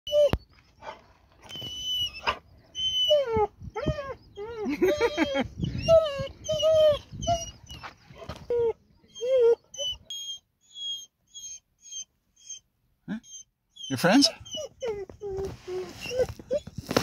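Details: A very quiet dog that rarely barks, excited on arriving at the parking area to meet his friends, giving soft, wavering high whines in rapid bursts, with a person speaking to him and brief music.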